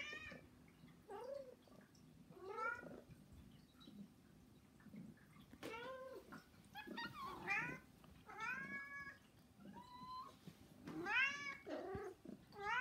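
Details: Repeated begging meows from pet cats in a small room, three housecats calling for attention: a run of short rising-falling mews spaced one to two seconds apart, some overlapping, with quieter chirps between.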